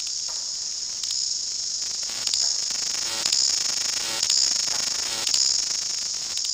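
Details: New Zealand chorus cicada (Amphipsalta zelandica, kihikihi wawa), endemic, in bush in summer, peak density February: a shrill, unbroken, very loud hiss swelling in pulses about once a second, a repeated chorus ended by wing claps.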